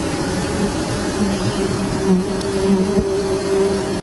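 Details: Wild honey bees at a honey tree with honeycombs, a steady droning hum with a low, even tone holding throughout over a dense rustling background noise.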